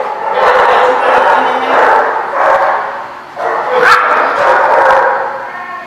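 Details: Dogs, recorded September 29, 2017, give a continuous run of loud, hoarse barks and yelps in waves about a second apart, with one sharp high yip near the middle.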